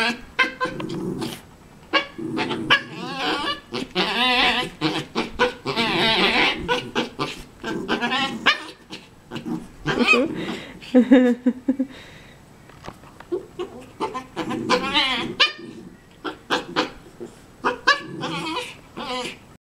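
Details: Havanese dogs, one wanting the other dog's bone and sounding frantic: a dense run of wavering, whining and yodel-like cries with short yelps, nearly continuous for about twenty seconds with brief pauses.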